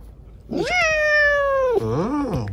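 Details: Chiko, a rescued kitten left lame by an accident, settled on dad's lap indoors, gives one long meow that holds steady then slides down, followed by a short rising-and-falling second note in a quiet room.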